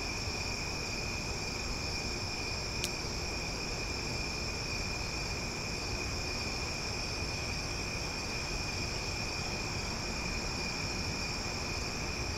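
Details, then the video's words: Cicadas in Omaha singing loudly on a summer night, forming an even, sustained high-pitched whine with several stacked tones. A single sharp click sounds near three seconds. "Cicada Sounds for Sleep"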